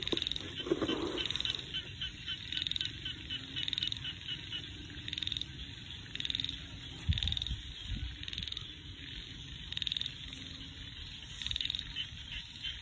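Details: Rice-field frogs calling in the countryside: a series of brief, high, buzzy pulsed trills repeating roughly every second, with a brief lower sound early on and a soft low background hum throughout.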